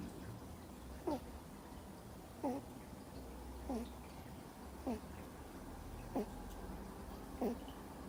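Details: Two-month-old Miniature Schnauzer puppy fast asleep indoors, snoring: short squeaky whistled breaths that sweep up and down, repeating roughly every 1.2 seconds over a faint steady room hum.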